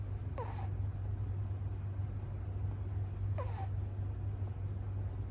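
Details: Kitten of the American Shorthair breed sleeping on its sixth day, two quick squeaky snores dropping in pitch, spaced about three seconds apart, over a steady low-pitched hum.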